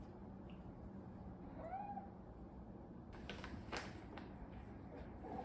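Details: Pet cat named Moka, indoors, a cat said to try to escape home every day. It gives one short, soft meow that rises and then slides down, amid low room hum, with rustling and clicks afterward.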